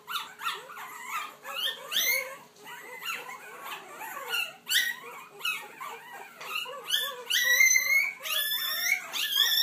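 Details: Several puppies finding their voice indoors, a chorus of thin squeaky howls and yelps overlapping, quick upward-sweeping cries that grow louder and higher toward the end, with a faint steady hum beneath.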